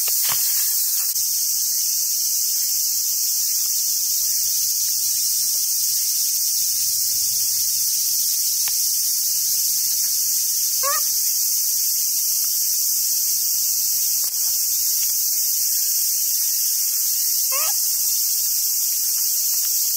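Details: Cicada chorus on a summer day at a monkey park on Awaji Island, Japan: a steady high hiss for twenty seconds, broken only by two brief rising squeals and a few low rumbles.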